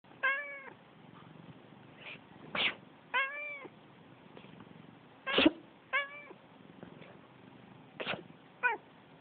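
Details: Pet cat indoors that dislikes sneezing, meowing back each time its owner sneezes: short sharp sneezes, each followed within a second by a clear, slightly wavering meow, four meows in all, with quiet room noise between.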